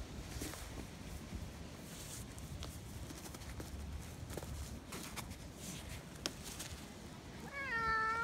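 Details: A clingy rescued cat named Sango, taken back to its home park on a day in May; steady outdoor background noise with faint clicks, then a single clear, drawn-out meow bending in pitch at the very end.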